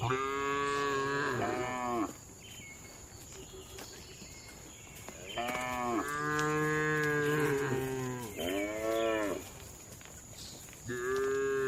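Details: Calm cattle in a farm barn give a string of long harmonic moos, some wavering and overlapping, one running nearly two seconds, over a faint steady high whine.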